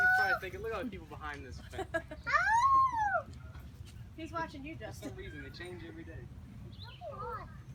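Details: A captive gibbon at a zoo-type park in North Carolina gives loud, tonal whoops that swoop up and then fall away.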